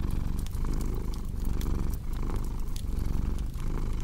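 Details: Brief, close purring from a cat: a rough, low vibration in uneven breath-paced surges, with fireplace crackles and pops on top.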